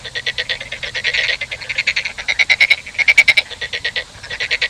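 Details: Frog giving rapid, pulsed croaks in dense rattling bursts, several overlapping or repeated calls with bright buzzy tones, the bursts running almost continuously through the recording.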